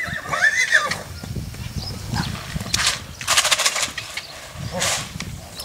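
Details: Purebred Lusitano horse at the Coudelaria Aguilar stud, giving one short, high whinny with an arched, rising-then-falling tone in the first second, followed by bursts of rustling noise and low rumbling movement sounds.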